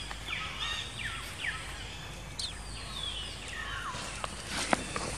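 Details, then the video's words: Female baby monkey Jinx cries after an attack by the monkey Spring. Quick falling whistled cries repeat several times over constant hissing outdoor noise, with a few sharp clicks near the end. "Poor Baby Monkey Jinx Was Attacking By Spring Monkey, She Crying Seizure"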